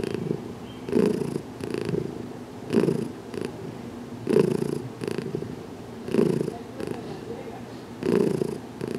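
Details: Heidi the cat, at her first filmed massage on June 6, 2019, shows she welcomes the head rub with steady purring; even low pulsing purrs repeat roughly every 1.8 seconds in a quiet indoor room.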